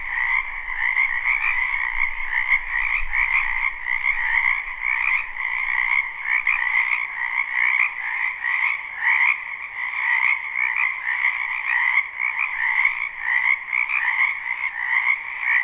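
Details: Spring wetland frogs in full chorus, a live recording with no looping: unbroken, throbbing croaks stacked in a mid and a higher register, swelling slightly in rhythmic waves; faint low rumble early on.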